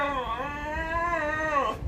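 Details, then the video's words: German Shepherd in distress, described as crying and frightened by the noise of bombs (firecrackers). It gives a long, sustained, wavering whine that dips and rises over nearly two seconds, with rich harmonics, then breaks off at the end. "jermen Shepherd dog videos /dog sound dog plying videos"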